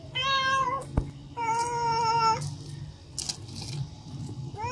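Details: Pet cat meowing for food: two sustained, evenly pitched meows of under a second each, separated by a brief click, followed by soft rustling and a faint rising start of another meow at the end.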